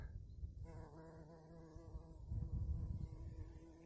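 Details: Female bumblebee searching for a burrow to lay eggs and build a nest, first of spring in the Urals; a low, even buzzing drone begins after half a second and holds steady, with rumbling low-frequency noise underneath.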